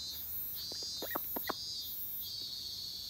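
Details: A minmin cicada drones in high, shimmering pulses that swell and fade about once a second on a summer day, while busy call ducks give a few short, nasal quacks midway.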